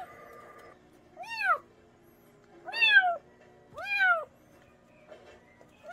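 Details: Meowing cat, played to repel rats in rural areas: three clear, bowed meows about 1.4 seconds apart, each rising then falling, followed by quiet with a soft hum.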